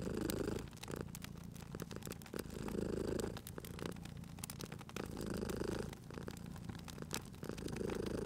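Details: Purring cat at a crackling fireplace; the rumbling purr pulses in regular swells roughly every two and a half seconds while crisp pops and crackles from the fire run through the whole stretch.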